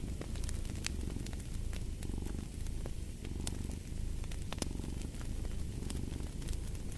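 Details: Steady rumbling purr from a cat, rising and falling with its breathing, accompanied by scattered crackles and snaps of a fireplace.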